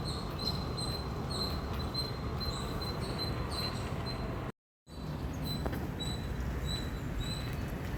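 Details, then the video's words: An Indian squirrel chirping loudly, sharp high squeaky notes repeated at a brisk uneven pace over low background rumble, broken by a brief silent gap midway. "Loud Squirrel Chirping Sound"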